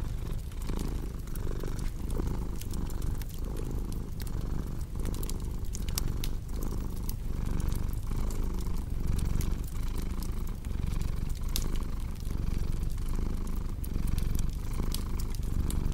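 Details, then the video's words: Domestic cat purring steadily and low, in a rhythmic pulse of breath cycles under a cozy crackling fireplace, whose sharp pops and snaps scatter throughout. "Purring Cat with Cozy Crackling Fireplace Sound"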